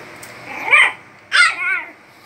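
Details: Playful barking from Logan, a little dog leaping about with joy: two high, yelping barks about half a second apart, the second drawn out with a wavering tail, in a quiet room.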